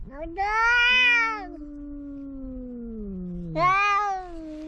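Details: Loud cat cries: a sharp, harsh meow that trails into a long descending moan, then a second strident, bright-edged yowl that settles into a steady wail.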